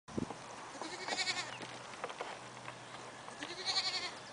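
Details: Painted long-haired male pygmy goat, described as calm for a big male, giving several wavering, nasal bleats with harmonic bands, one near the start, a longer run in the middle and another toward the end.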